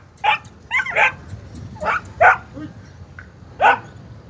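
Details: Kohati Gultair dog barking: a handful of sharp, separate barks spaced unevenly over about four seconds, with a steady low background hum.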